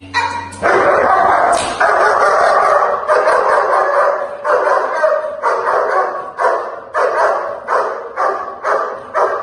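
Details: A dog barks during protection training, delivering rapid, loud, harsh barks about twice per second in an almost unbroken run, with a brief high scrape near the start.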